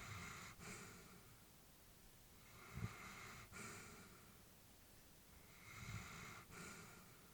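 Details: Elderly female Labrador Retriever asleep indoors, breathing softly: slow, hushed airy breaths with faint snuffles, one cycle about every three seconds, all very quiet against a steady low room hiss.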